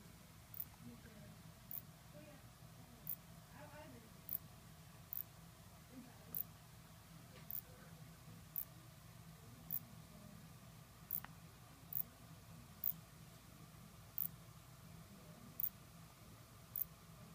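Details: A Mediterranean katydid (Phaneroptera nana), a green bug found on the West Coast of California and in Europe, gives sharp, dry ticks, repeated roughly once a second over a low background hum.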